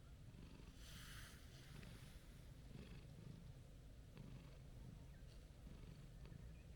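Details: Gentle orange-and-white stray cat being petted, giving a deep continuous purr. The rumble pulses evenly, and a soft rustle is heard about one second in.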